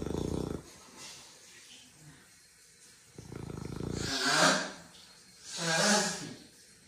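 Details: Pet beagle asleep indoors in Australia, snoring very loudly: two deep, rattling, pulsed snores separated by softer breathy exhalations that swell and fade.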